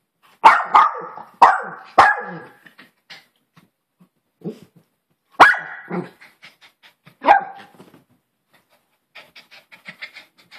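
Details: Maltese Poodle barking: three sharp, quick barks in the first two seconds, then two more spaced barks near five and seven seconds, with soft short yips and faint scuffling sounds between them.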